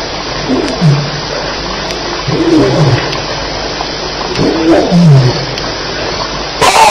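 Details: Lions fighting at night around 2:11am at Elephant Plains on July 9, 2010, with rough, low growling roars surging in repeated bursts about every two seconds over steady background hiss, ending in a sudden loud crackle.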